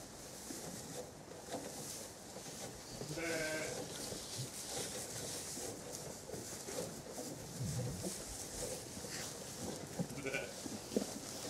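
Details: Zwartbles hoggets on a County Kilkenny farm in Ireland, 2 January 2017, eating sugar beet pellets and rolled barley from troughs at feeding time; two short harmonic bleats, one early and one near the end, over steady munching and rustling.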